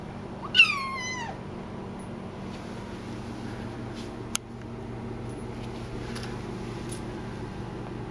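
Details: A Highland Lynx cat born in 2011, in a kitchen, gives a single loud meow lasting under a second that rises sharply then slides down, followed by quiet room sounds, a sharp click and faint clatters.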